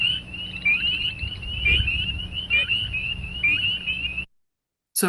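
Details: Spring Peepers calling in a chorus of peeping calls rather than singly: clear, high, slightly rising peeps repeated roughly every second with overlapping callers, over a low rumbling background and a steady faint high hiss.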